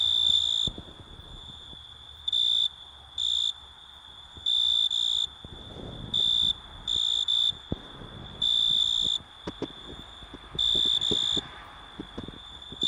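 An Italian tree cricket sings in loud, pure trilled bursts, each about half a second, over a steady high whine.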